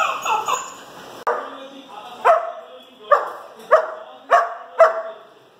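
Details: Dog barking, with a baby pitbull and a bulldog named together: a burst of mid-pitched, harmonic barks, then six sharp single barks spaced about half a second to a second apart, each fading quickly, over a quiet indoor background.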